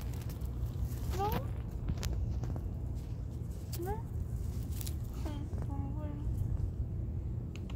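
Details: Street cats being fed outdoors in June, the calico Sam-soon and the mackerel tabby Cho-rong: short rising, nasal meows come in three bouts, the last a pair of brief cries, over steady low traffic rumble and a person speaking softly.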